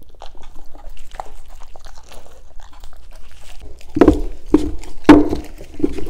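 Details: German Shepherds tasting green foods such as cucumber, crunching and biting loudly indoors, with sharp bursts of crunching in the second half and quieter mouth sounds before.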